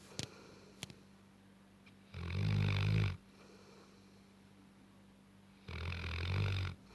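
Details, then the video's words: Tibetan Mastiff named Gassan, nine months old, snoring while asleep indoors: two long, deep, rumbling breaths about three and a half seconds apart, low and steady, with quiet room tone and a couple of faint clicks between them. "Тибетский мастиф ( Гассан ) храпит"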